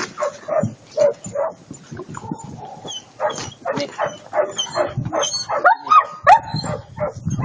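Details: Attila ot Salmoxis, an eight-month-old German Shepherd puppy, lets out a rapid run of short yips, barks and whimpers, with a few higher whining tones near the end and people talking faintly.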